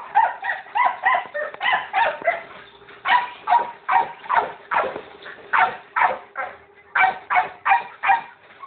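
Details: Steady, nearly continuous barking from pet pit bulls: rough, forceful barks repeated roughly every third of a second through the whole recording.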